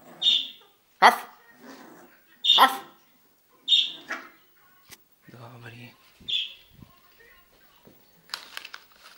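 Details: A 7-week-old puppy on a slippery indoor floor, asked to bark on command and still learning the trick, gives short high-pitched yips and squeaky barks at irregular intervals. A person's spoken commands and praise are heard in between.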